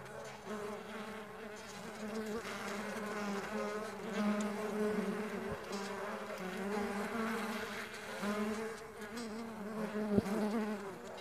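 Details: Farmed stingless bees in flight, a continuous droning hum from many wings with shimmering upper tones, fairly even in loudness, broken by a faint tap near the tenth second.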